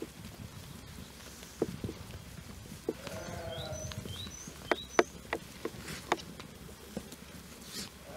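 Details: Young Jura sheep, about twelve months old, in a flock joined a few days earlier by the breeding ram; they graze on pasture by day and spend nights in the barn. One wavering, harmonic bleat sounds midway, with hoof clicks, rustling and small bird chirps around it.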